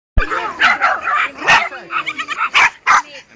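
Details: Jack Russell Terrier at a fair in Bracciano, Italy; a run of sharp, high yapping barks in quick bursts, several loud peaks spaced under a second apart, with voices and crowd chatter mixed in.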